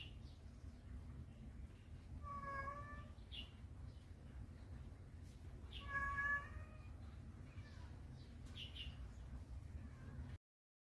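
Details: In Taiwan, a scared kitten under a carer's protection meows twice, each call steady and even-pitched, under a second long and spaced about four seconds apart, against a continuous low hum.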